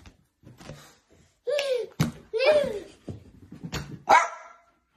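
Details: Jack Russell Terrier barking in a small room: a handful of sharp, harmonic barks, some with a growly edge, three close together in the middle and a final bright bark near the end, with short gaps of quiet between.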